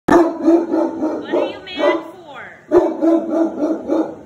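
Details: Great Dane barking nonstop at a deer head hanging on the wall: loud, deep, harmonic barks in quick bursts, with drawn-out wavering yowls in between, the barking breaking off briefly and then resuming.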